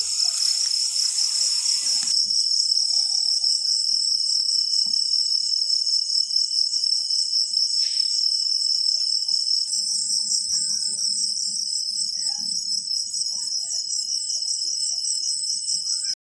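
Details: Crickets calling after rainfall, a dense continuous high-pitched trill with pulsing, shimmering chirps that carry steadily throughout; a brief broadband rustle at the start and a low hum faintly underneath in the second half.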